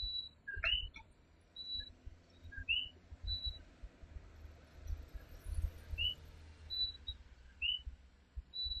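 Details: Puerto Rican night with the coquí, a tiny native tree frog: scattered two-note calls that sweep upward, spaced a few seconds apart, among steady high piping notes from other frogs and a low background rumble.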